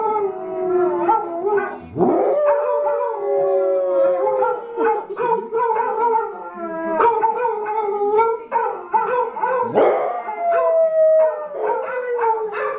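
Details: Pet dog Arran joins other dogs in singing: drawn-out, gently falling howls layered in more than one voice, broken by abrupt rising yelps near the second and tenth seconds, then continuing in steady harmonious wails.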